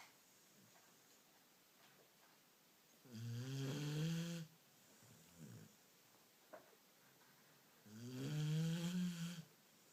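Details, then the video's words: Beagle asleep, giving two loud drawn-out snores roughly every five seconds, low and buzzy with rising harmonics, plus a softer short breath and a faint click between them. "Beagle roncando"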